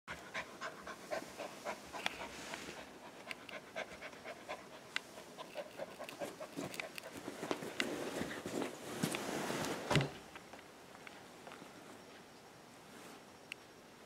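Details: A Golden Retriever puppy plays with bed sheets. Rapid, quiet panting runs throughout, mixed with sharp clicks and rustling of fabric, which swells to a louder burst of rustling around the tenth second.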